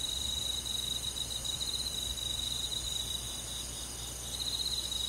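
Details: Summer-night forest insects led by crickets in the countryside: a dense, shimmering high-pitched trill made of rapid pulses, layered in parallel bands, with brief fades and returns but no pause over five seconds.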